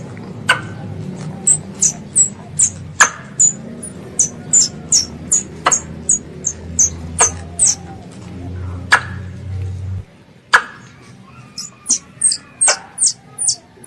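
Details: Squirrel, called a pest, calling its mother: a run of high, sharp squeaks sliding downward, about two to three each second, mixed with scattered clicks and a low hum that stops after ten seconds.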